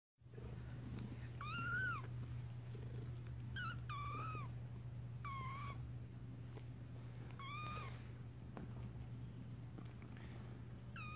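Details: Kittens learning to walk indoors, giving short, high, arched mews that rise then fall, about seven spread over the stretch, some in quick pairs, over a steady low hum.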